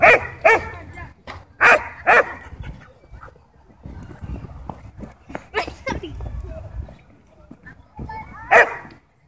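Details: Ball-possessive German Shepherd barking at a dog park while demanding a toy, with another dog, Bodhi, provoking it in play. Bursts of harsh barks separated by quieter stretches, with people talking and park noise in between.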